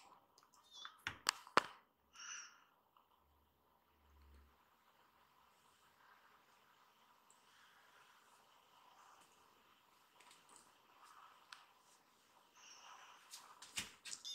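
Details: Rescued baby kittens gathering on a lap indoors: short, high, thin mews near the start and again late on, broken up by sharp clicks and handling noise in a quiet room.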